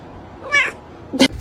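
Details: Pet cat letting out one brief, sharp meow followed a moment later by a short noisy burst.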